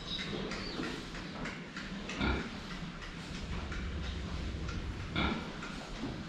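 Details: Pigs drinking water, seen from the front: brief, strained grunts at roughly two-second and five-second marks, with clattering and low rumbling noise throughout.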